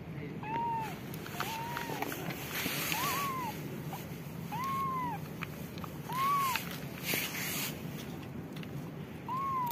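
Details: Hungry mother calico street cat in Morocco, meowing for food so she can make milk for her hungry kittens; six clear rising-then-falling meows come every one to two seconds over a low background hum.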